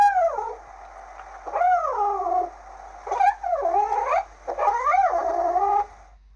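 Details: Several long, whiny kitten meows follow one another almost continuously, each swooping down in pitch with rich harmonics, some warbling and overlapping, in a quiet indoor setting.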